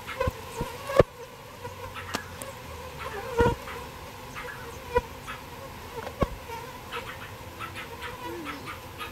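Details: Honey-toned droning buzz from bees being shifted out of a birdhouse into a bee box. Scattered knocks and thumps from the handling punctuate the hum.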